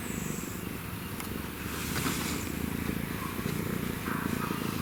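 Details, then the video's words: African wildcat with a kitten, ancestor of house cats, purring: a low, steady rumbling vibration that grows stronger halfway through, in rapid pulsed cycles, with faint background hiss. "African Wild Cat & Kitten Purrs"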